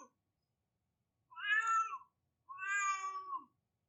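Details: Baby-like crying from a cat, two long, steady meows each close to a second, the second flatter and ending in a slight downward slide; faint low hum beneath, otherwise quiet.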